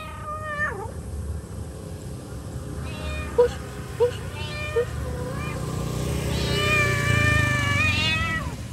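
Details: Mother cat calling her young: a brief meow opens, then fainter calls and three sharp clicks, ending in one long, strong meow that rises and falls, over a steady low rumble.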